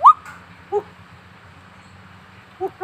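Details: Gibbon. A young gibbon starts with one loud squeak that slides quickly upward. Two short, quieter whimpering notes follow after pauses, over a low background hum.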